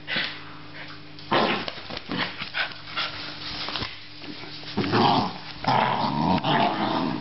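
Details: Australian Terrier growling in rough, rumbling bursts after a quieter first second, with sharper snarling surges near the five- and six-second marks and a faint steady hum underneath.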